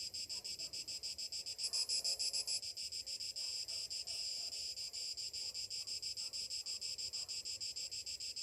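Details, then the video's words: Cicadas in summer morning heat, shrill pulsing buzz around three beats per second; a nearer insect flares loudly for a second early on, then the even chorus continues. "Morning summer cicadas sounds"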